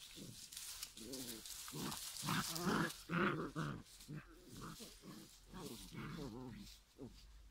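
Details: Five-week-old giant schnauzer puppies produce a run of squeaky, wavering growls and grunts, several animals overlapping, loudest near the middle.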